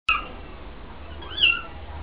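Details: Kittens being weaned just outside a door in the 800-year-old mellah of Fes, Morocco, squirming on their own while the mother watches from a distance; a short faint high meow at the start, then a louder rising-falling mew near the end.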